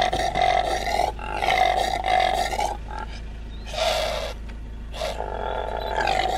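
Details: Impala calling with a series of harsh, roaring bursts in rich harmonic stacks, some drawn out about a second, with short pauses between, over a steady low hum.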